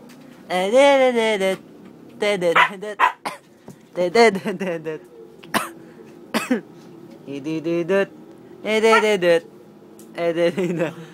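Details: Six-month-old Siberian Husky vocalizing indoors in a string of varied, whining, talk-like yowls that slide up and down in pitch. The bursts are broken by short pauses and a few sharp clicks.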